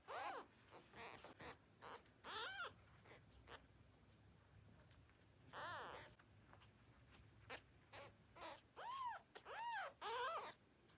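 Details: Hungry newborn kittens calling for their mother before nursing: many short, high, arched mewing cries with rich harmonics, repeated in quick bursts, some overlapping, several clearer and louder near the end.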